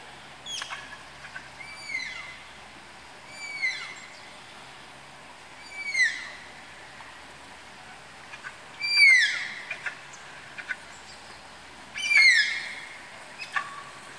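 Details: Malayan tapirs being paired at Tama Zoological Park utter five or six piercing, falling whistles, roughly three seconds apart, each with ringing overtones. The later calls are louder.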